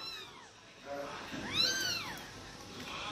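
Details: From a group of pet Persian cats at feeding time, one clear, strong arched meow rises and falls in the middle, with fainter mewing before it and people talking softly around.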